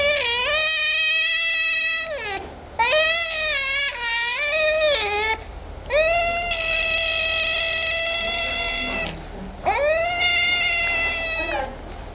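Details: Rare baby African clawless otter, torn between eating, sleeping and singing, gives four long, high, wailing squeals rich in harmonics, each lasting two to three seconds with brief pauses and slight pitch bends, over a faint low hum.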